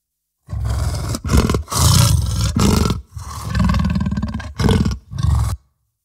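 A leopard gives a run of deep, grating roars: about seven rough bursts over five seconds, separated by brief pauses.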